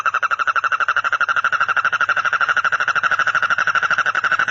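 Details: Frog. A frog calls in a continuous, rapid trill, its pulses evenly spaced and held at one mid-high pitch. The buzzing rattle never pauses or changes tone, with no other sounds around it.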